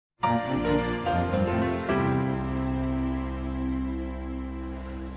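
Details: Gentle instrumental music with sustained tones and soft plucked notes, and no animal voice present.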